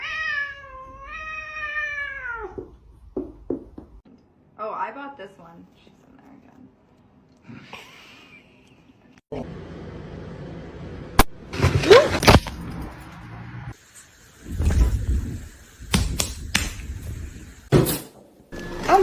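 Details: Domestic cat in a funny-cats compilation gives a long, drawn-out meow with a wavering, falling pitch. People then talk, scream and laugh over faint music and scattered thumps.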